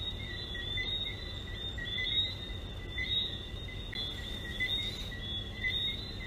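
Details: Chorus of frogs at Sandals: brief rising whistled chirps about once per second above a sustained high ringing drone, with a low steady rumble beneath and loudness swelling slightly midway.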